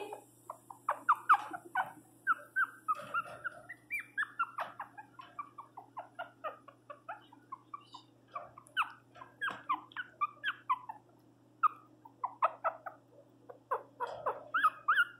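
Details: Pinscher named Teco crying very loudly indoors after being given flea medicine; a long run of short, sharp whining yelps and squeaks, uneven and rapid, with a steady low hum underneath.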